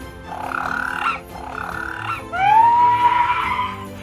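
Fur seal giving three harsh, bleating calls about a second long; the last begins with a rising, clear note and holds steady, over a faint low background.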